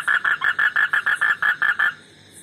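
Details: An Indian frog croaks in a quick, even series of about eleven short, mid-pitched notes.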